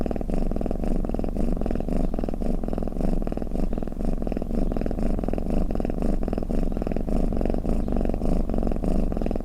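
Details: Domestic cat snoring or purring, a steady low rumbling throb made of dense rapid pulses, swelling and easing in soft breathing cycles about twice a second, with no other sounds around it.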